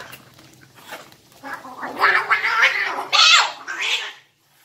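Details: Fighting domestic cat giving harsh, raspy screeches and hissing spits that build in intensity, with faint background noise indoors.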